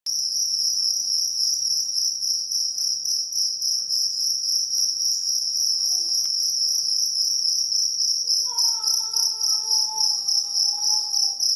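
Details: Cricket known locally as jangkrik kalung, a loud, high, continuous chirping trill with rapid even pulses throughout; near the end a fainter sliding tonal sound, like a whistle or voice, drifts downward beneath it.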